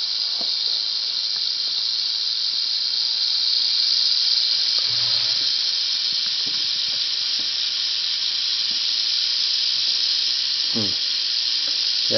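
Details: Captured female Southern Pacific rattlesnake, angry after being caught on warm asphalt near Whitewater, California, shortly after sunset, rattling in an unbroken dry hiss for the whole stretch, with faint voices and brief knocks.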